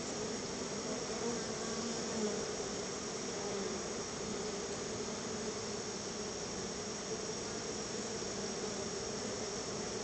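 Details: Honey bees at their home hive, being fed bottled honey as a gift, produce a constant, even buzzing hum for the whole stretch, with a faint high tone running above it.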